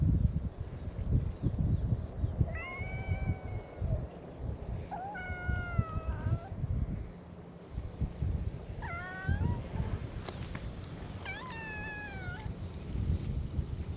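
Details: Meows from stray cats gathered on a Japanese cat island, welcoming a visitor: four spaced harmonic meows, each wavering and dipping, set against strong low-frequency rumble and wind-like noise.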